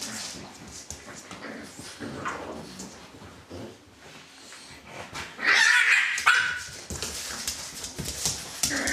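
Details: Dogs of Litter A, Celtic Mist, whimper quietly at first, then burst into a sustained loud yelping squeal lasting about a second, followed by scattered shorter yips and shuffling.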